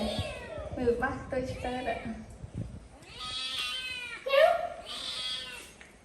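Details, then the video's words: Pet cat screaming indoors: after people talk, it gives two long, wavering, high meows that rise and fall, the second one louder and strained. "Cat is very good at screaming"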